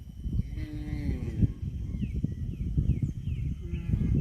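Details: Cow giving one low, drawn-out moo of about a second, steady then sliding down, followed by thin repeated chirps of small birds over a constant low rumble and scuffling.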